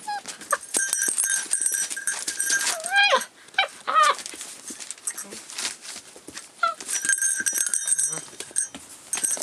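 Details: Rough collie puppy, 48 days old, filmed 29 February 2012; high, thin whimpers bending up and down in pitch, clustered around the third and fourth seconds, over constant clicking and rustling with steady high-pitched tones in the background.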